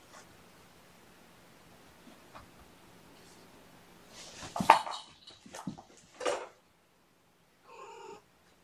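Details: Sleepy foster kittens waking gently from a nap indoors, snuggled with a person; after several soft bumps and rustles, a short harmonic meow rises near the end, then quiet.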